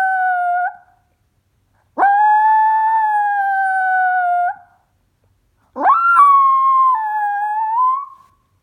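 A Chihuahua mix howls in three drawn-out notes, each opening with a quick upward swoop before holding a fairly level, high pitch. The longer howls last two to three seconds and sag slightly before fading, with short silences between.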